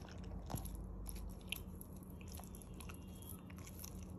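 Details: A corgi chews and crunches chicken with wet, irregular bites.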